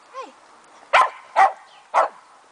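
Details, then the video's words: Fox Terrier puppy, two months old: a faint whiny squeak, then three brief high yips about half a second apart, with a person speaking nearby. "Fox Terrier Puppy"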